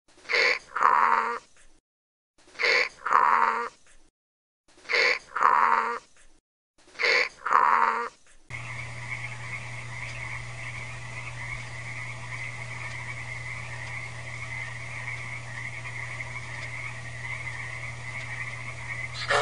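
A donkey brays in four loud, rasping bursts, then a steady mechanical hum takes over.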